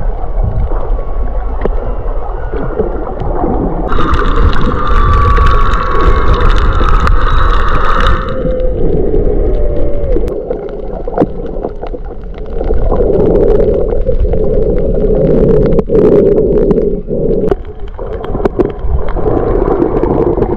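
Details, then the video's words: Underwater off Maui, February 2023, humpback whales mixing with fish: a strong harmonic wail rises and holds for several seconds, then lower drawn-out moans swell and fade through steady crackle and clicking. "Fish Mix, Maui Humpback Whales"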